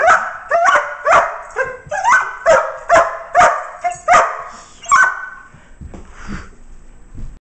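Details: Crated male working dog, just put back after a good long play session and wanting more: about eleven rapid sharp yips, some with whiny tones, before the calling breaks off into quiet rustling and a faint final sound.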